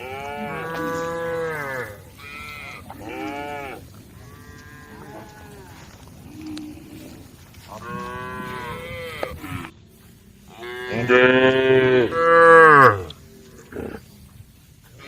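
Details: Several female cows in a barn moo in turn, long harmonic calls that rise and fall, some deep, some higher and strained.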